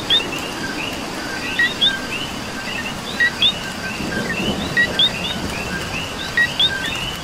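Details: Coqui in Puerto Rico rain, its two-note whistled co-qui sounding five times about every 1.6 seconds, a short low note then a sharply rising higher note, set against a busy background chorus of frogs and rain noise.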